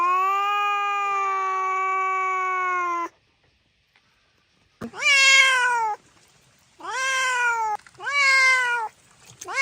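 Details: Cat meowing to attract cats: a long steady tonal note for three seconds, then after a pause three loud drawn-out meows, each falling slightly in pitch, about a second apiece.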